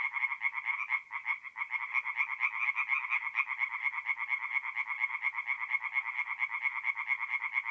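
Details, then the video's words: Tree frogs calling at night from a forest pond in north-east Italy during mid-April, a close, clear run of rapid nasal croaks repeated in steady pulses with little else heard. "relaxing forest pond by night with singing tree frogs"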